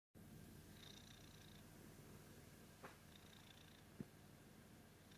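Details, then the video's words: Domestic cat purring indoors: a steady low rumbling drone throughout, with a few faint higher tonal murmurs and two soft clicks. "Just a Cat purring"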